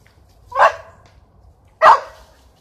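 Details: ['Frustrated spaniels barking at squirrels up a tree after a chase: two loud, abrupt barks roughly 1.2 seconds apart, with quiet in between.']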